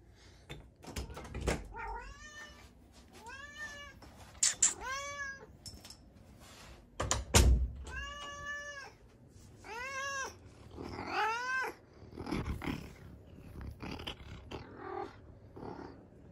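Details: Domestic cat recorded in Bossier City, Louisiana, on June 28, 2021, meowing and purring; a run of about eight drawn-out, arching meows with knocks and thumps in between.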